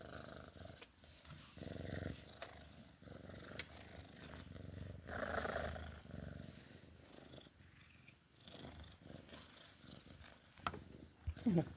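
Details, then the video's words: Sphynx cat in play time, low purring rumble swelling in louder bursts around two and five seconds, with rustling and a few sharp taps. "Sphynx cat play time purring"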